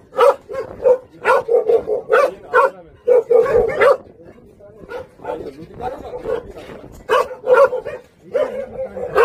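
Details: Jindo dogs of the Song Baekgu brothers at a local Jindo kennel, urged to "say uncle": bursts of short, mid-pitched barks in quick runs with brief pauses, a man's voice speaking between them.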